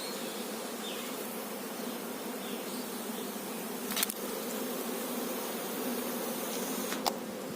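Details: Honey bees at a beekeeping hive with a queen bee, giving a steady, dense low hum of many wings that holds even throughout, broken by two brief sharp clicks.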